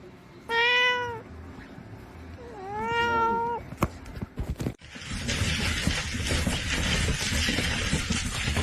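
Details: Domestic cat in a funny cat compilation meowing twice, each meow a clear, rising-then-falling tone about a second long with a pause between them, followed by loud hissing background noise.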